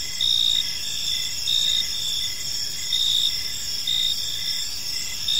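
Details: Evening park crickets give gentle, high-pitched chirping, several insects overlapping in layered trills; bright pulses swell roughly every second over a constant shrill hum, with quiet low ambient noise beneath.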